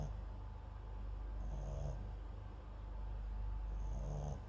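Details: Mixed-breed dog MAX, part Papillon and part Japanese Chin, sleeps near a microphone, letting out two brief rattly snores a couple of seconds apart over steady low background noise.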